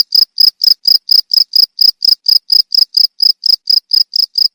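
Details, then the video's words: Steady cricket chirps played as a tutoring sound for cage songbirds: crisp, high, pulsed notes come in a regular run of about four per second, each chirp distinct with short silent gaps between. "Suara jangkrik untuk masteran burung"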